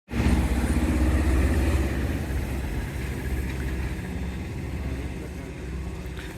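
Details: A steady low engine rumble from a motor vehicle dominates, loudest at the start and easing slightly, with no animal voice heard.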